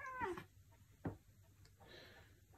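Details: Maine Coon cat, described as very talkative, replying indoors when spoken to: one short falling meow with a bright harmonic stack at the start, then a brief click and quiet room noise.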